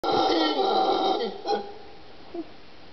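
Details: Ecuadorian mantled howler monkeys, several of a troop of 13 calling in a forested ravine of dry forest at Cerro Blanco Reserve near Guayaquil, late morning, 26 December 2014, filmed through a spotting scope; a rough, harmonic roar lasts over a second, followed by two brief, fading grunts.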